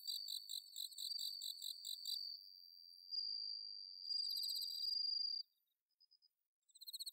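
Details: Autumn-night song of a bell cricket in the Inba-numa paddy fields of Chiba, Japan, captured on a Zoom H6: quick high pulsed chirps give way to a long, steady ringing tone lasting about two seconds, then near silence with faint trills returning.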